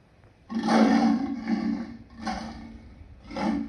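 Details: Lion uttering a strained, growling roar followed by three shorter rasping bursts, the sound rough and throaty throughout.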